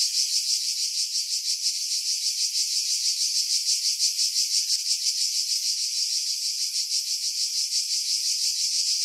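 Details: July cicada song from pine woods 50 m above the sea, Skiros Island, Greece, 2018; an unbroken high, hissing buzz throbbing at a regular pulse near three beats per second, no other sounds.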